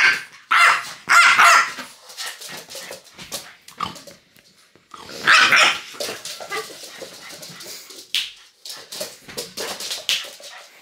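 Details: French bulldog named Loki, a pet, reacting angrily as fingers are pointed at him indoors; loud harsh barks and growly yelps in bursts, with gaps of quieter grumbling between outbursts.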